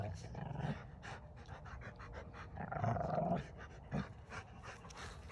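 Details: Rottweilers playing with bowling balls grumble as they come close to each other: low, rough rumbling grumbles mixed with panting in uneven bursts, swelling louder near the middle, with some faint human voice in the background.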